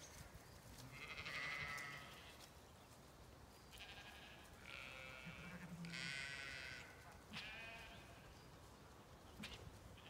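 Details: Zwartbles ewes in a field on a regenerative farm in County Kilkenny, Ireland, on an autumn day, coming over to check on the farmer; several faint, quavering bleats a few seconds apart over a steady wind rumble.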